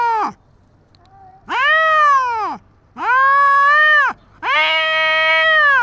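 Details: Tabby street cat confronting the white cat Dabai: a clipped yowl ending, then three long arching howls with strained, harsh overtones, rising and sagging in pitch, separated by brief pauses.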